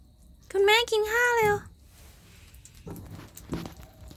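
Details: Morning cat meowing in two quick connected tonal pulses, clear and slightly rising. Soft human speech and small indoor noises follow.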